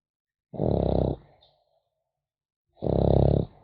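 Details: French Bulldog puppy sleeping and snoring, two harsh rattling inhalations about two seconds apart, each roughly half a second long, with a faint wheezy trail after the first.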